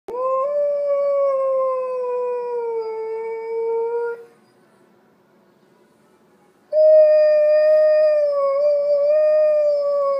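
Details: Male Alaskan Malamute howling in response to church bells: two long, smooth, sustained howls with rich harmonics, the first slowly falling over four seconds, then a pause and a second howl rising and wavering slightly.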